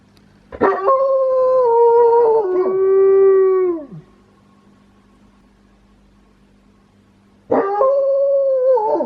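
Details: Household wolfdog howling with a quirky voice: a long steady tone that steps down in pitch and then slides steeply downward at its end. Quiet humming follows, then a second howl begins with a sharp rise.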